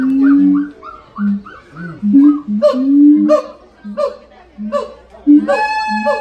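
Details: Siamang at the Los Angeles Zoo giving its loud call: a low, hollow boom answered by a higher, clipped bark, the pair repeated steadily about once per second.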